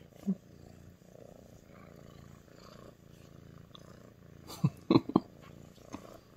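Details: A female Sphynx cat purrs steadily, a low rumbling throb of affection toward her human.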